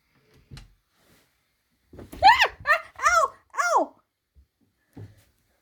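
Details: Formerly homeless female cat kept indoors on a very hot, stormy day, playing hide and seek: a quick run of five short, clear, rising-then-falling meows, then a few soft knocks in a quiet room.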